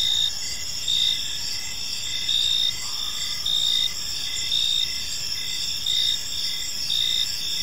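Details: Crickets in a peaceful park in the evening keep up a shrill, high trill, broken by short regular chirps and gentle swells in volume.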